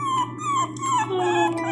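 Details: Pinscher puppy crying very loudly while being given medicine: drawn-out, high whining cries that slide downward and run together into a long wail, in a small room.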